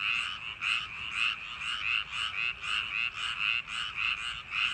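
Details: Night chorus of frogs in summer rice paddies, with coarse buzzy croaks pulsing nearly twice a second, overlapping voices making a dense rhythmic racket and no other sounds.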